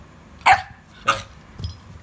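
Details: Puppy barking: three short, sharp barks about half a second apart, the last one softer and lower.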